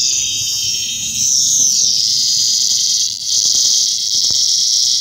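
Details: Lyric cicada (Neotibicen lyricen), found and later released: a loud, continuous high-pitched buzzing drone that wavers and dips briefly in intensity before resuming at full strength.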